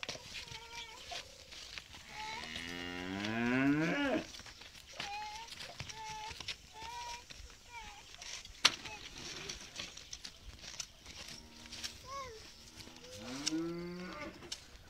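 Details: Belgian Blue cow with her Belgian Blue calf near Khemisset, Morocco; several short tonal moos with rising and falling harmonics, one longer bellow around the middle and another near the end, with faint background noise and clicks.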